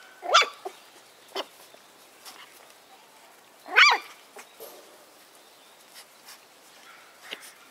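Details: Litter of seven White Schnauzer puppy siblings born on September 3; two sharp, high, rising-and-falling yelps about three and a half seconds apart, with faint softer squeaks and light rustling between them.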